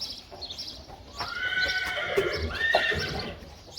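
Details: Friesian horse at a training stable in the Netherlands, taken there before an inspection, gives a loud neigh of about two and a half seconds: a high, wavering, descending whinny with a second shorter burst near the end, over faint hoof clatter.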